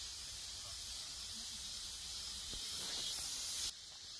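A cicada gives a steady, high, hissing buzz that cuts off abruptly near the end.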